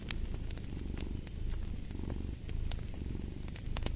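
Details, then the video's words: Purring from a cat, a deep continuous throb rising and falling with each breath about once a second, while a fireplace crackles and snaps throughout. "Fall asleep to the Purring of a Cat"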